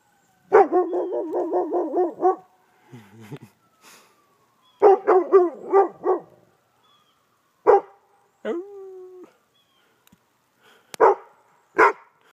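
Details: A dog responding to an ambulance siren; two bursts of wavering, pulsing howls, each about two seconds, a low whine, then scattered single sharp barks, with faint siren traces between them.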